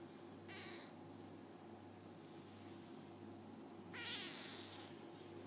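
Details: High, thin mews from F1 Bengal hybrid kittens aged 5 days, father a leopard cat and mother a Bengal. One short cry comes early and a louder, slightly longer one follows after about three seconds, over a constant low hum.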